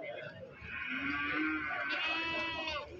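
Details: Male breeding goats at the Pakis market near Malang, 10/3/22: a long, wavering, nasal bleat rich in overtones fills most of the moment, with crowd chatter and market noise underneath.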